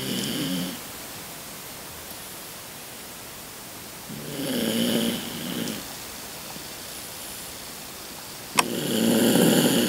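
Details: Rocky, a 16-year-old Toy Poodle kept at home, breathing loudly in sleep, the breaths growing louder with age; snoring inhalations with a harmonic buzzy hum repeat every four seconds, with a sharp click before the last.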